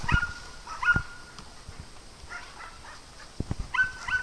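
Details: {'text': 'Dogs playing on a farm, giving short, high, squeaky yips in quick pairs, with pauses between bursts and a few soft thumps underneath.'}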